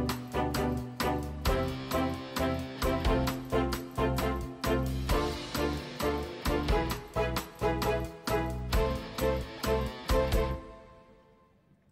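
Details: Playful, bouncy instrumental music with plucked, rhythmic notes runs for about ten seconds, then fades to near silence, with no animal sounds.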